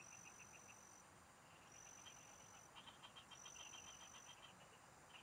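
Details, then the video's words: A field chorus of frogs at a countryside fishing spot: fast trains of short, clicking pulsed notes, several callers overlapping and quickening midway. Long thin high whistling tones come and go above. "Pikinggan mo Ang MGA huni Ng MGA Palaka SA bukid| Relaxing Frog Singing"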